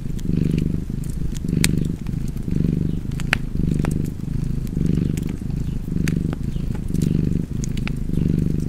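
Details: Cozy purring cat beside a fireplace: a deep, steady rumble swelling and easing in rhythmic breath pulses roughly every second, with sharp wood-fire crackles and pops scattered throughout.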